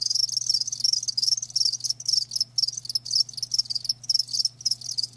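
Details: Nearly continuous shrill trilling of live crickets, pulses running together with only a few short breaks, over a quiet low hum.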